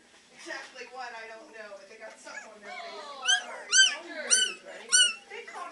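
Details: Three-week-old Beagle puppies at the Maryland SPCA shelter, practicing their howling: soft whimpers first, then high, arched yelps repeated about once every half second, with quiet voices in a small room.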